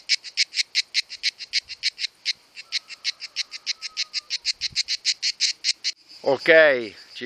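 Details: Two male cicadas sing in July during the summer mating season, producing the sound with their timbals: a steady train of harsh, buzzy pulses repeated about five times a second.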